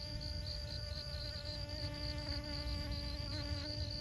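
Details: Pollinating honey bee at Siosar, Karo region of North Sumatra, Indonesia, giving a continuous low humming buzz with layered overtones, set against wind rumble and a fast repeating high-pitched insect trill.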